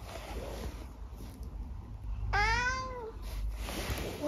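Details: Indoors, the talkative 12-year-old tabby Eric lets out one clear rising-then-falling meow of under a second, with rustling and background hum before and after.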